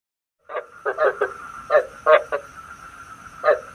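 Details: Frog decoy call used to lure frogs into night traps: a few short, throaty croaks in uneven bursts after a silent start, over a steady electronic hum with a faint high whine.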